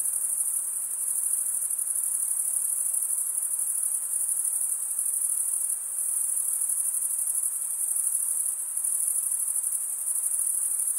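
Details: Male crickets stridulating with serrated wing veins give an unbroken, thin, high-pitched trill, finely pulsed and steady, dipping briefly in loudness near six and nine seconds; no other animals or noises.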